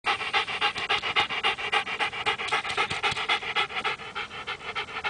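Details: Rhodesian Ridgeback dog that retrieves, panting rapidly and steadily, about three to four breaths per second, during play as a person repeatedly asks whether it wants the toy.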